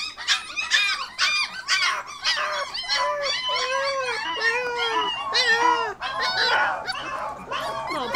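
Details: Border Collie puppies, 25 days old, crated for a few minutes while their play area is cleaned, 'singing' in overlapping high squeaky whines and yelps, with several lower arched howl-like notes in the middle; many pups calling at once.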